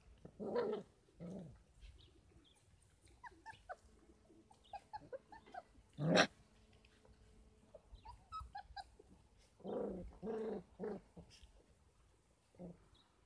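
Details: Litter of 33-day-old Kangal puppies on a farm, being given goat milk and formula as extra feeding. Scattered short whimpers and squeaky yelps come in bursts, with one sharp cry near the middle and a cluster of whines toward the end.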